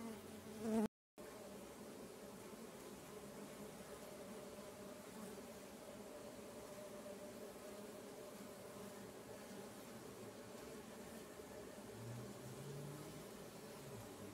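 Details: Kept stingless bee swarms in motion around their colonies give a steady, even buzzing drone throughout, briefly cut by a short silent gap near the start.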